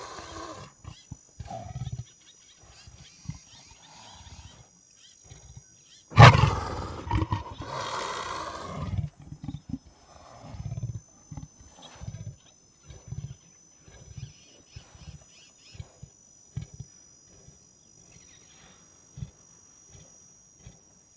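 A leopard gives deep, rasping grunts in an uneven series, with one loud growling burst.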